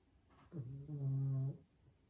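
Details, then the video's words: A sleeping pug snores indoors: one loud, low, rumbling snore about a second long, with a harmonic, steady buzz that rises abruptly and cuts off sharply, in an otherwise quiet room. "Cute Dog Sleeping & Snoring"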